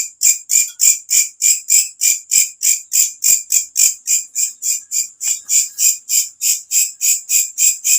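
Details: Katydid giving its loud nighttime call, used as a bird-training master sound; rhythmic sizzling high chirps, roughly three per second, with slight variation in loudness between pulses.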